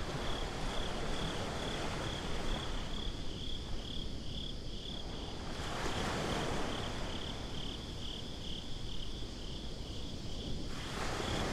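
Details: Crickets at night on a beach, a steady high pulsed chirping running through the whole stretch while broad surf washes swell and fade beneath, breaking louder around the middle and again near the end.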